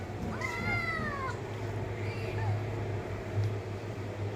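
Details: Cat giving one clear drawn-out meow that arches up then slides down, followed by a couple of fainter short mews, with a persistent low droning hum underneath.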